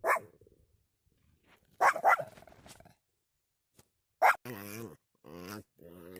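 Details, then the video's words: Pomeranian barking indoors: a few sharp, short barks spaced well apart, broken by stretches of quiet, with a person's low voice speaking toward the end. "Sounds of a Pomeranian"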